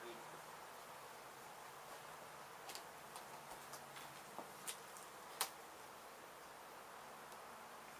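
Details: Disturbed honey bees swarm loudly as their hive is removed from a demolished abandoned home in Mission, Texas; a continuous broad buzz of many bees runs throughout, broken by several sharp clicks and taps of handling in the second half.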